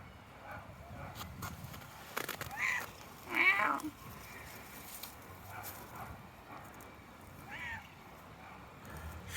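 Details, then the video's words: Shaggy red stray cat living on the street, walking in a tropical park on sunny January 2023 days, gives several meows: two louder, strained calls close together, then a softer short meow several seconds later, amid outdoor noise. "Red cat meowing walking"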